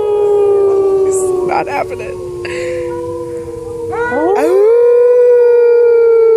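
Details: Several gray wolves at the San Diego Zoo in 2014 give long, mournful overlapping howls held at steady pitch, a new voice swooping up into a sustained note, while people nearby try to howl with them.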